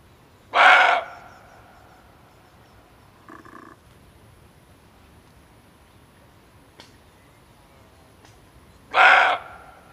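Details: Barking deer male, a call played to lure game when hunting: two loud, hoarse barks about eight seconds apart, with a faint softer note and a brief click between them.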